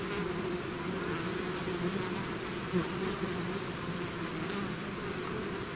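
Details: Buzzing of a bee swarm outside its hive, a steady layered hum of countless wings with faint higher whine, even in loudness apart from a short nearby pass.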